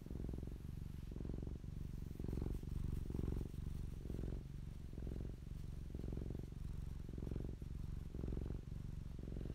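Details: Low vibrating purr of Popolina, a fluffy pet cat recorded close up, alternating louder and softer phases about twice every two seconds, with occasional faint clatter in the background.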